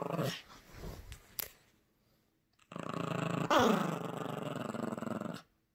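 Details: Playful Yorkshire Terrier puppy Gracie tugging at a squeaky toy; after scuffling noises and a short silence, one long, steady, gritty growl lasting nearly three seconds, with a brief whiny inflection partway through.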